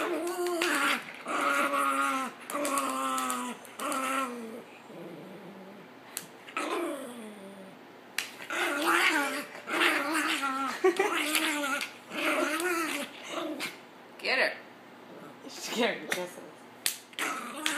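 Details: Pet dog indoors reacting to witnessing domestic abuse and choosing to get involved: long, wavering, harmonic howl-like whines that rise and fall, several drawn-out phrases, then a run of short, choppy vocal bursts in a small room.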